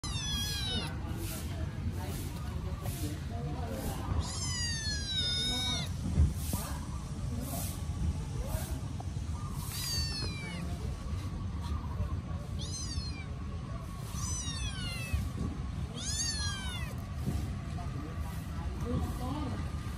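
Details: Several hungry kittens crying loudly while eating and chasing each other: bursts of high, strained meows, some falling and some rising in pitch, often overlapping, repeated throughout over a steady low rumble of background noise.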